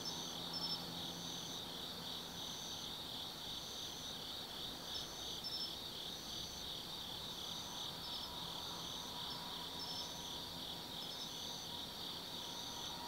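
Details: Autumn night insect chorus in Tsukimi no Mori forest above the Nobi Plain, Kaizu, Gifu, Japan: rapid pulsed trills beating quickly and steadily, stacked high-pitched chirping voices, and a faint low hum of distant traffic.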